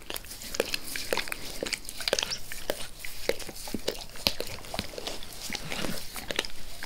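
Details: Max the dog keeps licking a person's face. Crisp, moist tongue smacks arrive in rapid irregular bursts with brief quieter gaps. The wet lapping clicks are close and clear, with no speech.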